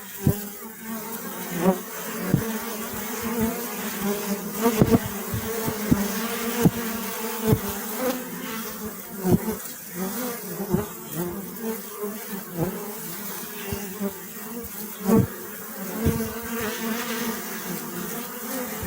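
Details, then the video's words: Honey bees buzzing in a steady low drone with layered overtones and wavering pitch. Frequent sharp clicks and knocks break through, likely from bees bumping against surfaces near the recorder. "أصوات النحل . صوت النحل.طنين النحل.Bee Sound Effect"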